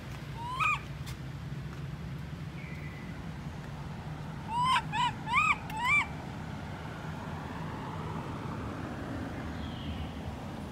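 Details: Lori, a baby monkey left alone by her mother Amari, cries in a quick run of four high, wavering whimpers after one earlier whine, each note bending upward and then dropping, over a steady low rumble.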